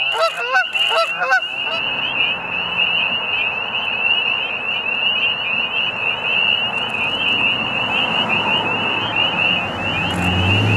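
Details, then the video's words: Spring peeper frogs making mating calls at a pond in Middle Creek Wildlife Management Area, Pennsylvania, in warming late winter: a few geese honk at first, then a steady piercing chorus of countless high peeps over a broad background hiss. "Middle Creek Spring Peepers Frogs and Geese"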